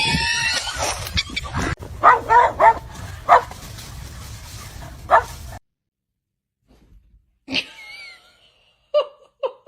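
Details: Dog giving a quick series of sharp barks over steady background noise, then, after a short silence, several high, rising yelps and whimpers.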